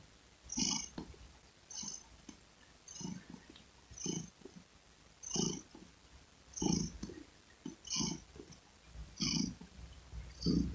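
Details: A domestic cat purrs steadily: regular breath-paced rumbles, about nine cycles, each with a raspy hiss on top and a brief softer pulse after it, over a low constant drone.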